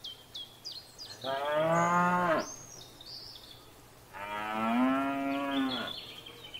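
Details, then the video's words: {'caption': 'Two long moos from cattle in a field, each over a second long with a slight pitch rise toward the end, separated by a pause filled with high bird chirps and whistles.'} "Cows Mooing and Grazing in a field"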